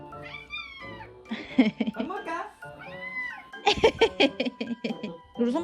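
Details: Domestic cat meowing eagerly after its owners ask whether it is time to eat; several long bending meows, with people talking and background music.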